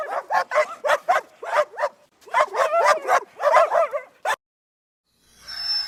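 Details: Dog giving a rapid run of short, clipped barks, about three per second, with a brief pause mid-way and a faint tonal sound at the end.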